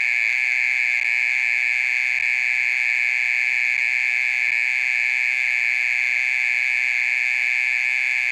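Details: Persistent nocturnal mole cricket call, heard for more than thirty minutes: an uninterrupted high, buzzy trill at unchanging pitch and loudness, with a quiet low background murmur.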